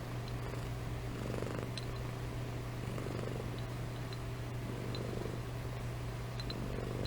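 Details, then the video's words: A sleeping cat named Amy purring and snoring, a steady low rumble with soft swells about every one and a half seconds, a few faint clicks above. "Compilation of Amy Purring & Snoring"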